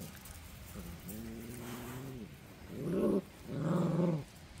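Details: Central Asian Shepherd Dog (Alabai) puppies growling: a low rumbling growl that rises and falls, then two louder, harsher growls in quick succession, each about half a second to a second long.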